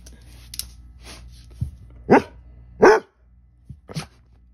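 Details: Basset Hounds barking and talking back in a small room: a few quiet huffs, then three loud, hoarse barks about a second apart and a short low woof at the end.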